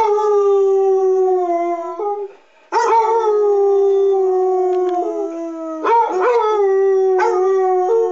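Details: Two Basset Hounds, Walter (6, tri-color) and Freckles (8, tan and white), join in as the city's public address sirens are tested each month, giving long, steady, drawn-out howls with brief breaks and short rising yelps.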